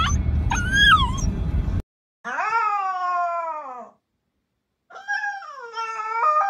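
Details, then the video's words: Siberian Husky screaming indoors: drawn-out, wavering yowls in several bursts with short silent gaps, the pitch sliding and bending through each cry. "husky screaming woof!"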